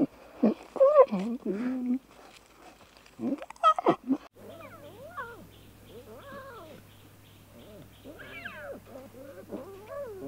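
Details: Lion cubs at play give loud, rough squalls first, then a run of rising-and-falling mews repeated roughly every second over a steady low hum.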